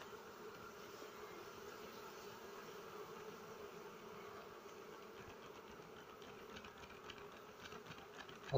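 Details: Many honey bees buzz around a nest being harvested after being smoked, at flowering time. A continuous low humming drone holds steady throughout, and a short knock ends the recording.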